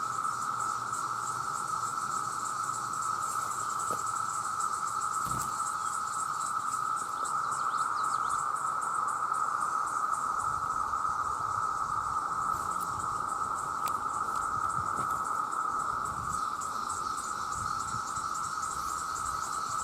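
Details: Loud chorus of countless male cicadas calling for mates: an endless whining drone at constant pitch with rapid pulsed shimmer, broken only by a few faint clicks and knocks.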